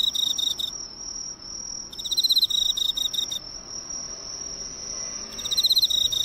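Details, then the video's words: Emma field cricket singing beside a neighbourhood drugstore's lights, recorded near: three bursts of high, rapidly ticking trills, each under a second and a half, separated by quiet stretches filled by a faint steady whine. "エンマコオロギの鳴き声を間近で見たらかわいかった Cricket Songs!!"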